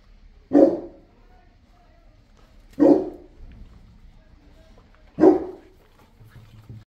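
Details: Boerboel (South African Mastiff) kept as a pet in Egypt, giving deep single barks spaced about two seconds apart, three in all, with quiet gaps between.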